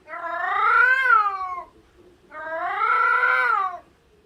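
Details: A domestic cat gives two long, loud, wailing cries that rise and then sag, a caterwaul, typically from females in heat broadcasting availability to mates over a wide area.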